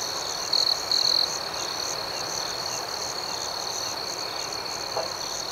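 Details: Nighttime crickets: a continuous high, pulsing chirp chorus, with two short, louder, closer trills bursting out near the start over the even background.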